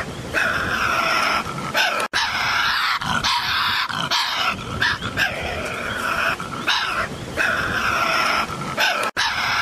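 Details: Continuous rasping snarls and grating screeches from a Tasmanian devil, loud and unbroken, pulsing in uneven bursts with a nasal, whining overtone running through the noise.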